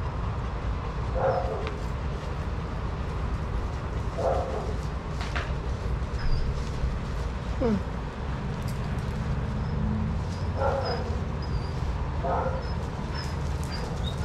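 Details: Adoptable shelter dogs playing and running together at a daycare. About five short, scattered bark bursts come over fourteen seconds, set against a constant low rumble.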